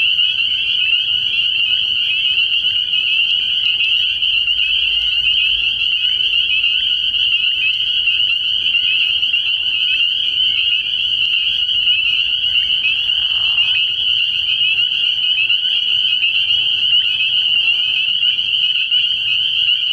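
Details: Spring peepers calling at night from a frog pond early in the year, a dense, unbroken high-pitched peeping chorus that holds steady throughout, with a brief lower buzzy burst near the middle and faint low rumbling underneath.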